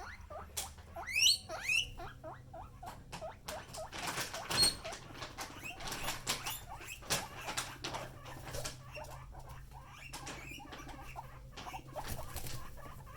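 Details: Pet guinea pig giving a quick run of high, rising squeals near the start, followed by steady rustling, pattering and scuffling sounds.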